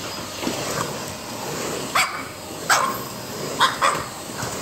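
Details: French Bulldog barking at a vacuum cleaner during its morning routine at home, a strained, squeezed-out bark: four short harsh yaps, two close together near the end, over a steady whirring background.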